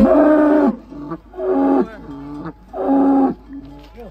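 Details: Giant contest cattle being unloaded from a truck at Boyolali, Indonesia, gives three long, deep, harmonic moos, each lasting under a second, with shorter lower grunts between them and a faint rumble beneath.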